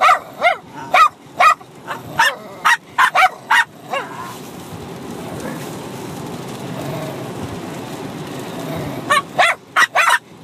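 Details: A six-month-old Bichon Frise puppy and a grown dog bark while playing and fighting together; bursts of shrill yaps open the stretch, then a long quiet gap, then a few more yaps close it.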